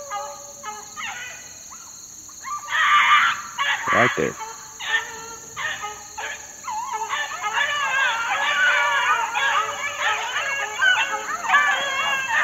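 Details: Several young Beagle pups around four months old, outdoors in the wild in 2013, break into sporadic yelps that build into a dense chorus of wavering bays, over a steady shrill insect-like tone.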